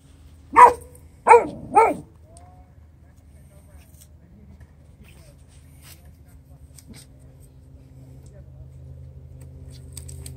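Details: Neapolitan Mastiff just arrived from Italy, giving three loud, deep barks in quick succession within two seconds, followed by a low steady background hum and near silence.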